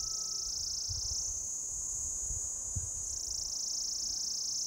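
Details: Mating call of an orange-coloured cicada on a lichen-covered deodar trunk in a Jabbarkhet forest, Uttarakhand, India: a steady shrill high-pitched drone, modulated upward then back down as the abdominal tip moves, over soft low background noise.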